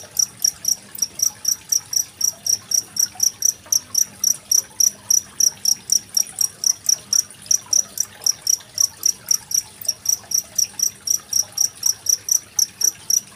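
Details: Cricket calling beside gently trickling water, a recording dated 25 February 2023 and used to tutor contest songbirds such as magpie-robins. A long, steady train of bright, high chirps runs about four per second throughout.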